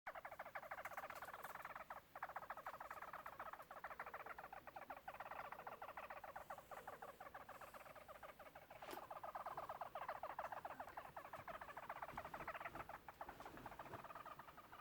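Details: A pet hamster making noises: a quiet, continuous raspy chatter of very rapid ticking pulses, steady for the whole stretch with brief pauses, and no other clear sounds.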